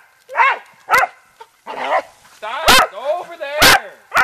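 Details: Beagle and dachshund pets splash and play in water, letting out high whining yelps with wavering harmonics mixed with sharp barks, while a person talks among them.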